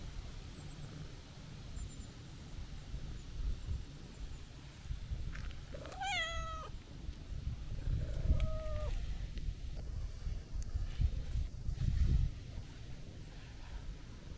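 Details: Calico cat, a stray, meowing happily as it comes to greet a person: one bright rising-falling harmonic meow followed by a shorter flat one, over steady low outdoor rumble.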